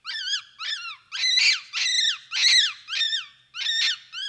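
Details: Capuchin monkey squealing in a rhythmic series of arched, rising-then-falling whistled calls, some rough and buzzy, close to two per second.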